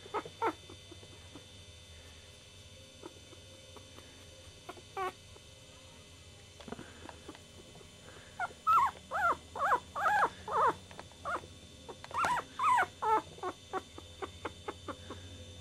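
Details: Chihuahua puppy, quiet at first with scattered faint squeaks, then a lively run of high, wavering whimpers and yips, several per second, rising and falling in pitch, with a brief pause midway.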